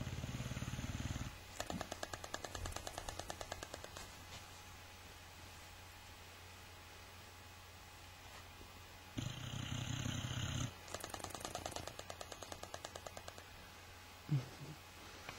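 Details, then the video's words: Sleeping Boxer dog snoring with lips flapping: two deep, rumbling snore bursts, each followed by a run of rapid, fluttering lip flaps, with a quiet room hum between them. "Boxer dog snoring lips-a-flapping"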